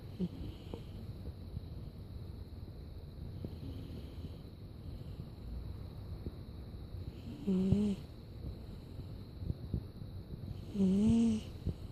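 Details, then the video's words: Nixon the cat sleeping and snoring indoors: soft, low, breathy snores recurring roughly every few seconds under a faint hiss, with two louder, nasal, slightly whistling snorts standing out near the end. "Nixon the cat snoring"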